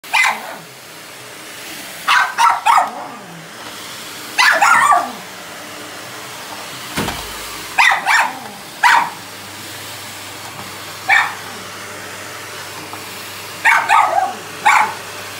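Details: A female Miniature Schnauzer, who hates the vacuum, barks at it in sharp, high bursts of two or three over its steady hum.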